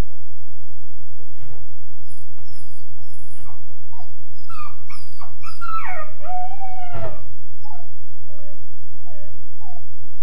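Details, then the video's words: Young Weimaraner, about 13.5 weeks, crying in his kennel crate: quick yips building into a burst of high, sliding wails mid-clip, then fading whimpers, with a couple of sharp knocks and a steady background hum. "The Wailing Weimaraner"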